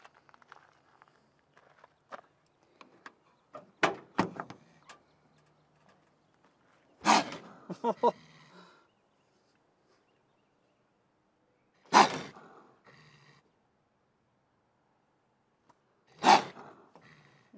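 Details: Angry trapped raccoon, the third caught in three nights at a horse barn, baring its big teeth; harsh, broadband hissing bursts near four, seven, twelve and sixteen seconds, with faint rasping growls between and otherwise quiet surroundings.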